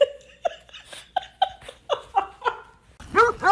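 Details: Pet dog giving a run of short yelping barks, roughly three a second, while a person gives commands and people laugh at the end.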